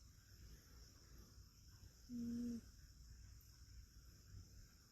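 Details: Rescued cat asleep using a person's arm as a pillow, giving one short whistling snore, a steady mid-pitched tone with a fainter higher overtone, in an otherwise quiet room with low background hum.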